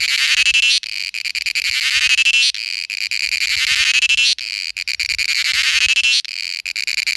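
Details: An Indian cicada's loud, shrill buzzing mating call, pulsing in long bursts of under two seconds with brief breaks.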